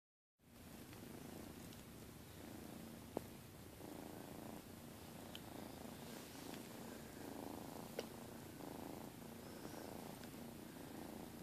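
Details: Domestic cats lying together on a bed, purring: a steady low rumbling purr throughout with faint pulsing bands, occasional brief clicks, a woman's voice softly heard nearby indoors.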